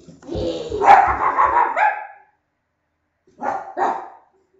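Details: Dog barking in a barking contest: a long, rough, tonal vocal stretch, then a pause and two short, sharp barks close together near the end.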